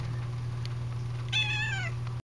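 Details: Calico kitten asking to go out, her meow said to sound like "out"; a single clear drawn-out meow that bends downward, following a quiet stretch with steady low electrical hum throughout.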